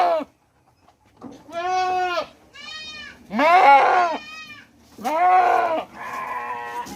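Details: A hungry goat on a large goat farm in Mumbai gives loud, wavering bleats in separate bursts, each about a second long, with music in the background.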